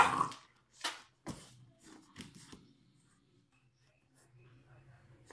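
An English bulldog gives a few short, harsh snorts and sneezy snuffles in a quiet room.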